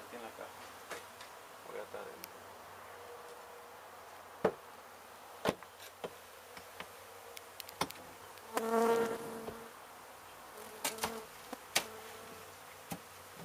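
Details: Buzzing honey bees from a hive damaged during demolition of an abandoned home in Mission, Texas, during their removal; a low steady drone punctuated by sharp knocks and a brief loud tonal squeal partway through.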